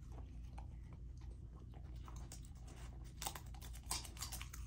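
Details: Raw chicken and sockeye salmon dinner for Lilo, a golden retriever puppy: softer, sparser chewing and gnawing at first, then loud crisp crunches in the final second and a half, with a faint constant hum.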